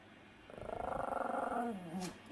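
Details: Pomeranian named Sam giving a morning and night greeting: a throaty, pulsing grumble with a whining tone that lasts over a second and falls slightly in pitch, then a short softer tail. The room is otherwise quiet.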